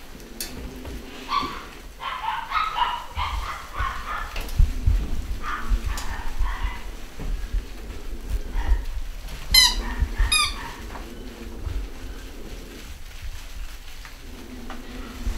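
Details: A litter of young pedigree Basset Hounds in the UK, 2015, letting out quick squeaky yelps and whines in a busy cluster, over a steady low hum and occasional bumps.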